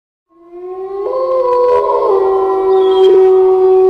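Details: Gray wolf (Canis lupus), howl.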